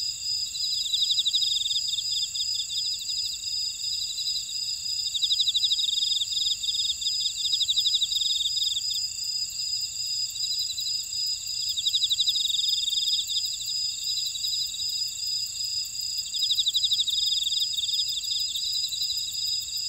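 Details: Buckwheat-field insects on Jeju island, South Korea, singing together: a continuous high-pitched drone with pulsed, rasping trills recurring every few seconds, rising and falling in loudness over the stretch.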